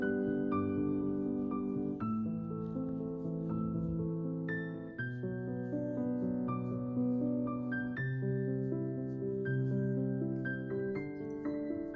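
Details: Soft piano melody with layered sustained chords and gentle single notes, played steadily throughout with no other sounds standing out.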